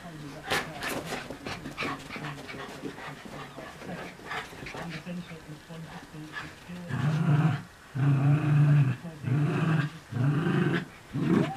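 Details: Two Miniature Schnauzers, one a new puppy brought home a week earlier, growl playfully during early-morning chase and tug play, with low rumbling bursts roughly a second long over scuffling sounds.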